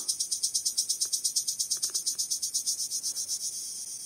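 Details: A male cricket rubs its wings in a bright, high-pitched trill of quick, even pulses, several each second, calling to attract females. A few faint clicks sound briefly in the background.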